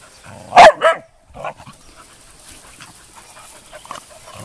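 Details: Rescue puppies, young female Retriever, Hound and Lab mixes indoors; one sharp loud bark followed by a second shorter one, then quieter rustling and a woman talking.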